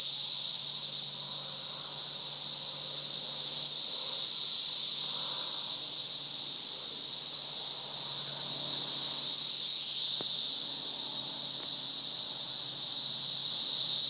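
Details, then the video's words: Cicada brood at peak emergence in mid Missouri, so many on one tree it seems a cicada tree: a continuous intense buzzing chorus pulsing gently in slow waves, with a couple of brief clicks near the end. "Cicadas Gone Wild"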